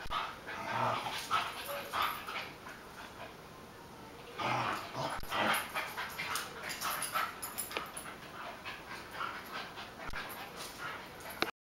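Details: Two pet dogs playing together in a kitchen in July 2013: Buddy, a beagle-basset hound mix, and Sonic, a chihuahua-dachshund mix. Short, rough vocal bursts come in clusters near the start and again around the middle, with scuffling and clattering between them.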